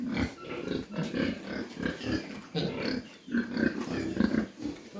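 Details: Farm mini pigs in Dimapur, Nagaland, India, producing a steady run of short, low grunts with occasional louder, rougher notes amid faint background noise.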